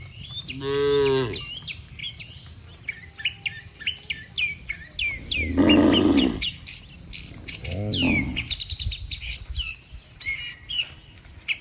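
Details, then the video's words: Cattle by the dozen lined up on a road, their moos seemingly summoning the herd back to the barn; a clear harmonic moo opens, followed by two rougher, louder lows, all set against steady chattering birdsong. "Suara Sapi Moo, Puluhan sapi Lembu Memanggil kawanan untuk pulang"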